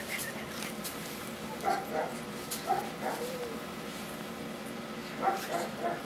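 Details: Sleepy 28-day-old Golden Retriever puppies settle to sleep, making faint, high, short nasal whimpering squeaks in scattered bursts, a few seconds apart, over a steady low hum, with no other animals heard.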